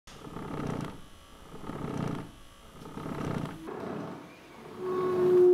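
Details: Cat purring as part of a musical act with a singing saw: low breathy rumbling pulses swelling and fading about every one and a half seconds, with a sustained pure saw tone coming in near the end.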